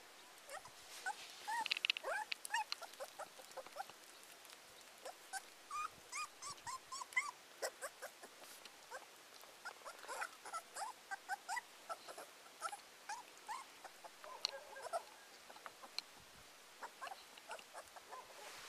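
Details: Abandoned teacup Pomeranian puppy whimpering in short, high, repeated whines and squeaks, broken by brief pauses, with soft rustling between cries.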